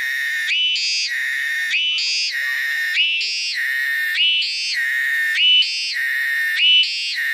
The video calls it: cicada is tonggeret (no copyright)